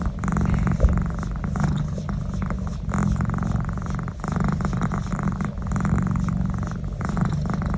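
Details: House cat rumbling with a deep purr during a neck massage, the low vibration pulsing continuously with short breaths breaking it into rhythmic swells.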